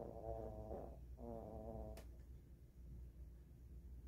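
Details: Maltese dog snoring while asleep on a blanket in a bedroom after a full meal of food and snacks; two soft, low, rasping snore breaths in the first two seconds, then quieter breathing in a hushed room.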